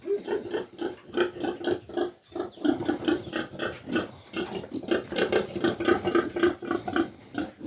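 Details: Domestic sow after farrowing, kept indoors on a farm: rapid, low, rhythmic grunts, roughly four per second and somewhat uneven, running steadily through the whole stretch, with no other clear sounds.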